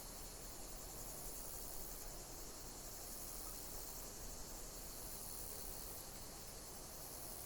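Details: Chirping insects outdoors in nature, forming an unbroken, thin, high trill with slight rhythmic swells, layered above constant background hiss and a low-frequency rumble.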